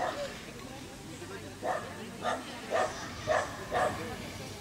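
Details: Rabbit dachshund barking: after a quiet start, five sharp, bright barks follow one another about every half second, each short and clipped, over a low background hum.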